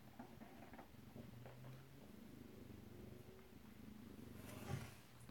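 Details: Soft, low purring from Alabama kittens recorded close-up at home on 2/7/18, a steady rumbling drone with a faint hiss and a brief brighter click near the end.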